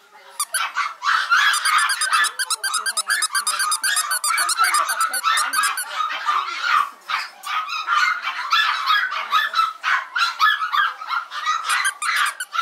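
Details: Yorkshire Terriers at a breeder of Maltese and Yorkshire terriers, recorded 16 November 2012 at 21:51, barking nonstop: shrill, rapid, overlapping yaps, several per second, forming a dense unbroken chorus.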